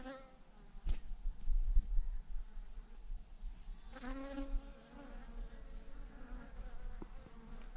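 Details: Swarm of thousands of honey bees clustered in a massive clump on a branch, buzzing in overlapping wavering tones that swell midway, with low rumble and a few sharp knocks.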